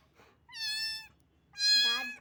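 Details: Two loud meows from a little cat, picked up wet and shivering in cold rain. The first is steady and drawn out; the second is brighter and strained, breaking downward at its close.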